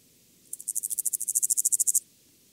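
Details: A lesser mottled grasshopper (Stenobothrus stigmaticus) sings a brief, high, dry burst of rapid ticking pulses, recorded in Tuttlingen, Germany, on 9 September 2021, with noise removal applied.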